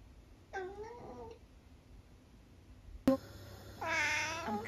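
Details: Long-haired tabby cat Eric, nearly 12 years old, from the UK, utters a soft, gentle falling meow, then after a knock a louder, drawn-out harmonic meow indoors.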